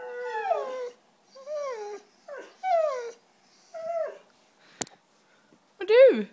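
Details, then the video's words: White female Siberian Husky vocalising for cheese doodles: loud, harmonic woo-woo howling phrases that bend down in pitch, about six in a row, with one sharp click near the end. "Husky Talking"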